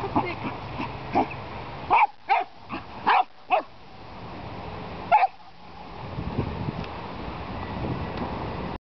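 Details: Polish Lowland Sheepdog, with the dogs Ratan z Wielgowa and Siwa Hajko-Nerita named, giving a quick cluster of five sharp barks, a pause, then one more bark over steady rustling background noise, with a human voice nearby.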